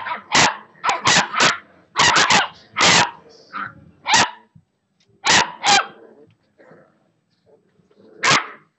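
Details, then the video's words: Six-week-old Boxer puppies at play, giving short sharp yips and barks in quick clusters with brief pauses between bursts, some quieter whimpers in between. "Boxer Pups 6 Weeks"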